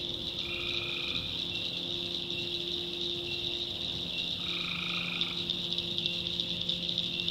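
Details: Two buzzy, rasping calls about four seconds apart, each lasting under a second. Tree frogs in the North Carolina backwoods at night, with a constant high insect-like chorus beneath them.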